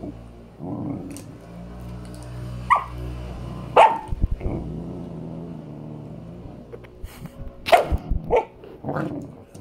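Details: Playing with her owner, Miss KittyCat, a female Samoyed puppy aged five months, mixes low growly rumbles with a few scattered yelping barks, busier toward the end amid rustling movement.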